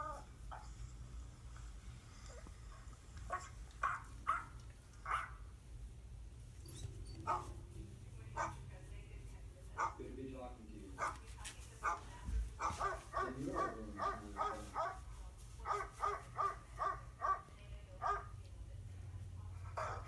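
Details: Pet dog, fascinated by sounds from electronic devices, reacts to dog sound effects played on a phone. She gives sharp, repeated barks and short whimpers while a person talks and pets her to reassure her.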